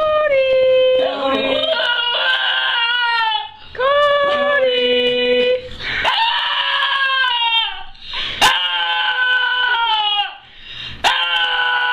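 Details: A dog reacting when it thinks its owner can't find her, giving long, wavering, high-pitched whining cries that slide up and down in several drawn-out bouts, each broken by brief pauses and a few sharp clicks.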